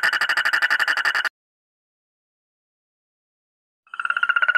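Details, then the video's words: Frog giving a buzzy, rapidly pulsed trill with ringing overtones. The croaking cuts off abruptly after about a second, falls completely silent for over two seconds, then resumes in the same pulsing rhythm. "the frog is croaking"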